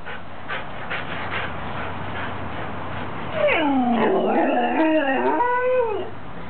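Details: Two pet dogs yawning; after a few seconds of quiet room hum, a long vocal yawn sweeps down then rises in a squeaky, wavering whine lasting about three seconds before fading.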